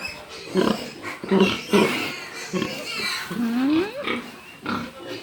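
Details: Pig giving short low grunts, then a rising squeal that climbs and breaks off, with people talking over and between the calls.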